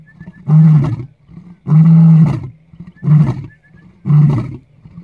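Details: A lion at Lalibela Game Reserve, South Africa, gives deep, rumbling roars in a repeated series, each lasting about a second.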